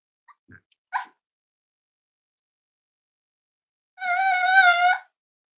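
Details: Cavalier King Charles Spaniel puppies almost eight weeks old, raised indoors in a family home: after a few faint clicks and a soft yelp, one clear, drawn-out, wavering whine lasts about a second in a quiet room.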